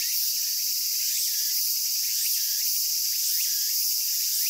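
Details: Cicada chorus recorded in Japan: loud, unbroken high buzzing that barely varies in volume, with a few soft rising chirps scattered beneath the drone.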